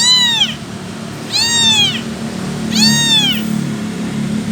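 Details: An abandoned kitten without its mother, calling for her: three high, arched meows, each rising then falling, about every one and a half seconds, over a low hum.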